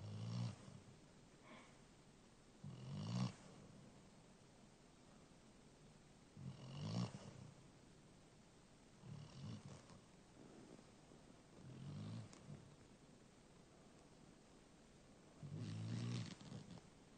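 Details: A one-year-old black Labrador Retriever asleep and snoring: low, rough breaths repeated every two to four seconds, some louder and raspier than others, in an otherwise quiet room.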